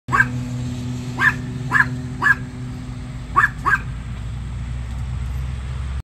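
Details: Two female Chihuahua littermate sisters barking as a big yellow school bus goes by; six sharp, high yips in two bursts over six seconds, over a steady low engine rumble.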